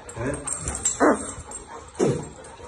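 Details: Fighting Labrador Retrievers, named as Zera, Tom, Foxy and Alabel, give two loud, sharp barks about a second apart, with a person speaking Korean faintly underneath.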